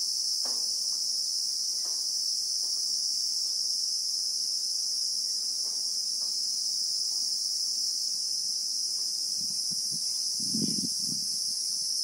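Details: Continuous high, shrill buzzing of Christmas beetles (Anoplognathus) in South Africa's bushveld, recorded in real time. The tone holds steady, with a few soft clicks early and low thuds near the end.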